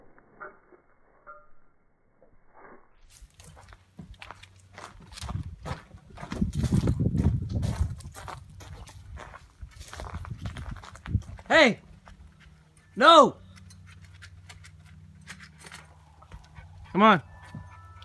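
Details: A female German Shorthaired Pointer, which leaps up a tree to reach a cat or the cat's food, gives three sharp, loud barks after a stretch of scrabbling and rustling.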